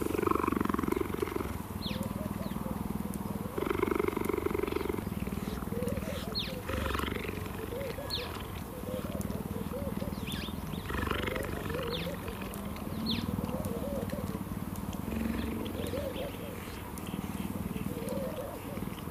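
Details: At Cheetah Experience in South Africa, a male cheetah reunited with a familiar human friend who lies on the ground purrs loudly and steadily as he greets him, a deep rumbling drone that pulses with each breath in and out.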